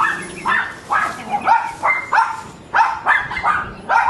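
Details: Several neighbouring dogs bark in quick succession, with short overlapping mid-pitched barks repeated roughly every half second.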